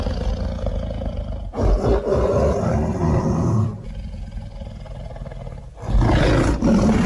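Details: Luangwa Valley lions feeding and playing as a family produce low, rumbling roars and growls. A strong bass rumble runs continuously, with louder surges near the start and end.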